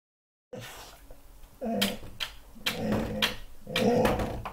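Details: A Staffordshire Bull Terrier, unsure what to make of his own reflection in a mirror, gives short, strained whines in uneven bursts about once a second.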